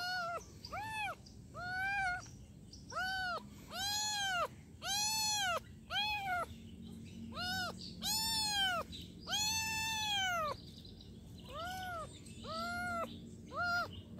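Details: Kitten meowing: a long run of high, arched meows, each rising then falling, about a dozen calls spaced roughly a second apart, some louder and longer, over a low steady background hum.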